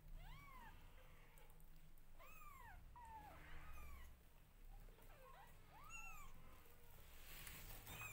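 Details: Newborn domestic kittens meowing loudly while their mother grooms them: a string of high, arched mews, several overlapping, each rising then falling, with a low steady hum beneath.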